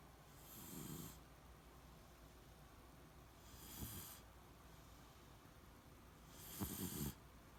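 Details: Beagle named Shiloh snoring in deep sleep: three breathy, rasping snores at roughly three-second intervals, each a broad hiss over a low rumbling grunt, the last one loudest and slightly rattling.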